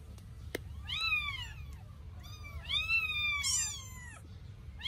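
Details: Two 8-day-old Sphynx kittens during their first bath, giving high, arching meows with rich harmonics, several in close succession and partly overlapping, over a low indoor hum, with a sharp click near the start.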